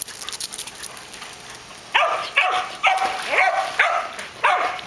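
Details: Excited dogs, among them Louie the white shepherd, Jasmine the border collie and Max the weimaraner, while Maverick the jack russell terrier plays fetch in a pool: after quiet, five sharp, harsh barks burst out within about three seconds, irregularly spaced.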